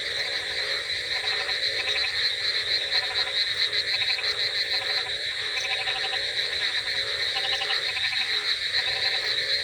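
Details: At night, a dense chorus of frogs croaks in steady, overlapping pulses, with a soft hiss of rain behind.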